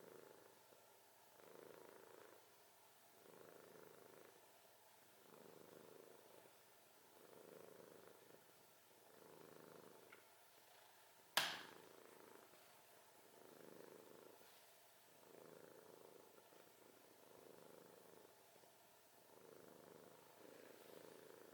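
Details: Domestic cat snoring steadily, soft rasping breaths repeating about every one and a half seconds in an even rhythm; a single sharp click breaks in midway, otherwise a quiet indoor room.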